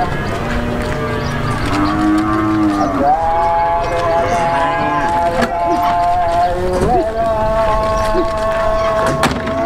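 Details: Cows climbing onto a truck by jumping give long, sustained moos that overlap and waver slightly in pitch, over a steady rumbling din with occasional thuds and bangs.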